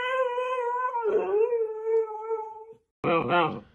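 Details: Sulking Siberian Husky, told not to pout, giving a drawn-out, slightly wavering howl that sags in the middle and tails off. Laughter and a human voice follow right after.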